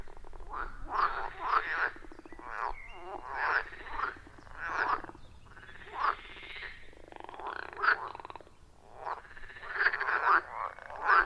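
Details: Frogs in a loud wild chorus around a forest pond, recorded deep in the forest on an iPhone 14 Pro with a Shure MV88+; overlapping rasping croaks in bursts roughly every second, some pauses between, no music or talking.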